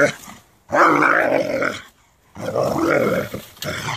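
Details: Doberman upset by a rake, giving two long, loud, rasping growl-barks of over a second each, separated by a brief silence, with a softer start of a third at the end.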